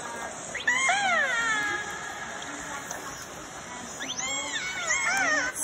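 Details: Transient (Bigg's), mammal-eating killer whales, played back at a whale museum in Telegraph Cove, give squealing, harmonic calls that rise then sweep downward in two short bouts; transients are said to call more quietly when hunting.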